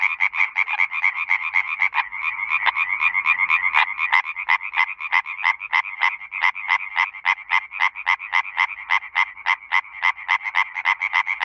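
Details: Tree frog in Bulgaria, where males call at night near water to attract females: loud, rapid, nasal pulsed croaking at about four notes per second, sustained with a dense chorus quality.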